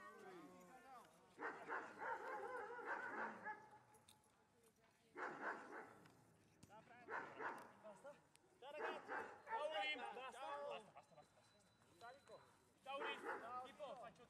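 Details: Giant Schnauzer Gyn-Yuu, a female from Tenuta de Benedictis, barking during IPO protection work training: several bursts of rapid, harsh barks separated by short pauses, with a human voice heard alongside.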